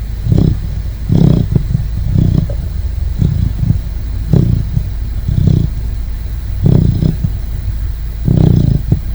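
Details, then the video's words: A Great Dane puppy snores in its sleep: a long run of low, rough rumbles, most arriving about a second apart, some doubled, over a constant low droning background. "Adorable Great Dane Puppy Snoring!"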